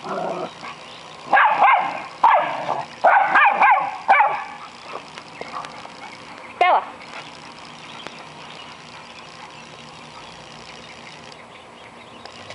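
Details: American Eskimo, Schnauzer and Boston Terrier at play: a quick cluster of barks and yips early on, one more bark near the middle, then near quiet with faint background hiss; people's voices also heard.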